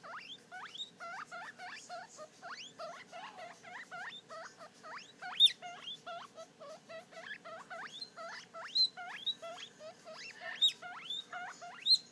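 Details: A three-day-old guinea pig pup at a mirror gazing at its own reflection, giving a steady stream of quick rising squeaks, sharply upswept and repeated several times a second, with occasional louder peaks.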